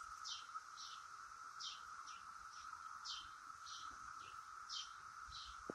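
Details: A constant buzzing drone of Brood X periodical cicadas high in a willow oak, even in pitch from start to finish, overlaid by short sharp chirps spaced roughly every half second.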